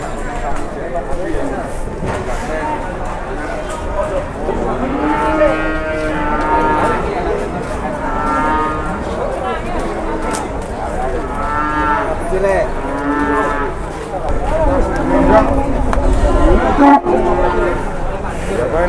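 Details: Jumbo cattle, mildly rampaging at an Indonesian market, moo again and again in long wavering bellows over a steady hubbub of people talking.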